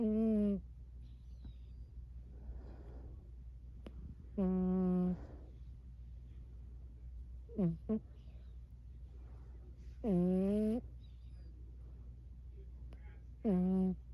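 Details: Burmese cat. A Burmese cat makes soft sleep noises: brief, tonal murmurs that glide slightly in pitch, spaced a few seconds apart. A steady low hum runs underneath throughout.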